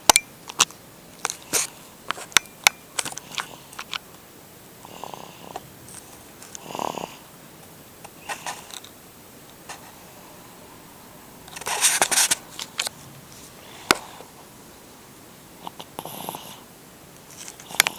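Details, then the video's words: Lyalka, a sleeping cat, snoring like a kitten indoors: soft breathy wheezes at irregular intervals, swelling into a louder cluster of rasping snorts near the twelve-second mark, then easing back to faint breaths. "Лялкьа храпит как котёнок"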